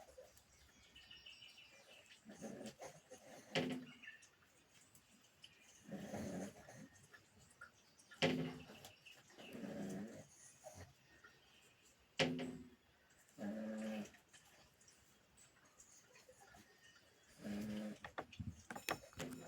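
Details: Pug sleeping and snorting in short, nasal snuffly breaths every two seconds or so, some with faint clicks, in a quiet room.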